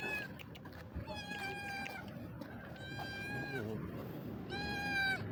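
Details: A hungry street cat meowing: three drawn-out, harmonic meows with steady pitch, each about a second long, separated by short pauses, over a low background rumble and faint clicks.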